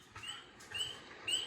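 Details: Spring peeper, tiny frog among the first animals to wake from winter hibernation in spring, gives clear, high, rising peeps, short upslurred whistles repeated roughly every half second, throat bubble inflating with each peep.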